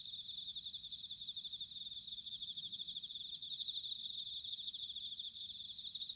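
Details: Bell crickets singing in autumn at Sanuki, Chiba Prefecture, Japan, recorded on a ZOOM H6 or TASCAM DR-05X: a dense, steady shimmering chorus of high pulsed trills, with a soft low rumble of background noise beneath.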